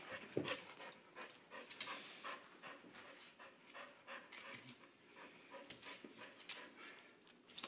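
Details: A Soft-coated Wheaten Terrier wearing a Halloween costume pants indoors: quick, breathy, noisy bursts repeat about twice a second, with a few soft clicks and a sharper sound at the very end.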